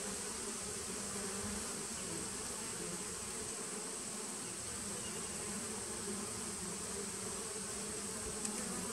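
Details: Bees of a 2017 nuc colony, September 2018, droning in a constant low hum that never lets up, layered with a thin steady high-pitched whine in the background.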